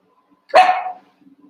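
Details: Cavalier King Charles Spaniel puppy, about one month old, barking while playing and wrestling with its littermates in a pen. A single sharp, loud bark with a bright falling tail, followed by faint soft grunts.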